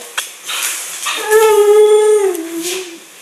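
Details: Female Siberian husky (Canis lupus familiaris) talking, answering her owner in back-and-forth conversation: a drawn-out, howl-like moan that sags gently in pitch as it ends.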